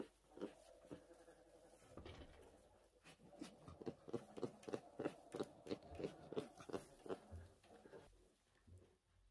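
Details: A tiny rescued orphan brown bear cub, having lost its mother to human conflict, logging or illegal hunting, makes a rapid rhythmic throbbing hum of about three pulses a second, with soft smacking clicks indoors.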